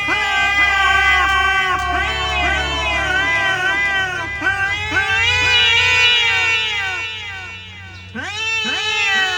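Fighting domestic cats let out strained, rising-and-falling yowls, several each second, with their voices overlapping and crowding together. The cries swell and fade in waves, then break off briefly before a fresh round of caterwauling.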